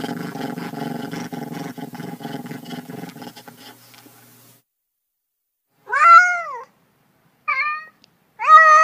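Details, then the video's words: Cat giving three short meows, each bending up then down, after about four seconds of dense, low rumbling noise that fades into silence. "Cats' Meow"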